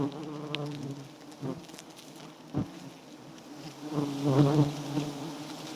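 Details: Giant honey bees buzzing at a small, white wild nest with plenty of honey: a low harmonic drone, several sharp knocks, then a louder swelling burst of buzzing near the end.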